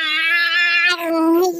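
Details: Persian cat, described as tired, giving a long drawn-out meow with a steady, richly harmonic tone that sags slightly in pitch toward the end; indoors, no other sounds.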